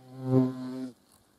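A hornet's deep, steady droning buzz, swelling briefly and then cutting off.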